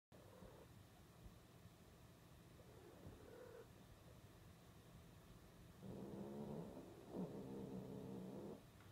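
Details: Cat calling during mating: after several seconds of quiet room hum, a low drawn-out moaning yowl with stacked harmonics rises, breaks briefly, then swells again near the end.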